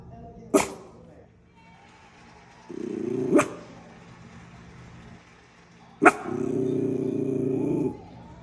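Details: Miniature schnauzer bitch guarding her turf, giving three sharp single barks spaced a few seconds apart, each followed by a low, sustained growl lasting one to two seconds.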